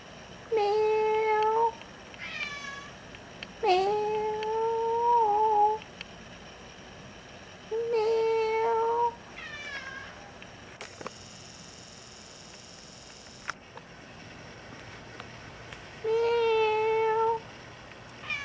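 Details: Indoor apartment cat Furbaby, once abandoned, keeps meowing to go outside, four long level meows spaced several seconds apart, with a burst of hissy noise in a gap between them and a quiet room otherwise.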